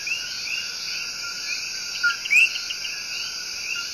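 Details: Coqui, the tiny but loud tree frog, giving its love song in Puerto Rico's El Yunque Rainforest: one two-note call near the middle, a short low tone then a quick upward-sweeping whistle, over a steady shrill chorus of insects and distant frogs.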